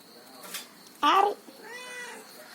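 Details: A talking house cat lets out one loud, short, bright meow that slides downward, then a softer, longer, whining meow trails off in a quiet indoor setting.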